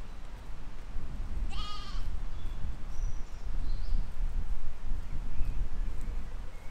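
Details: Sheep and lambs grazing in a field in spring 2020; a single wavering bleat rises briefly over a steady low wind rumble, with a few faint high whistles in the background.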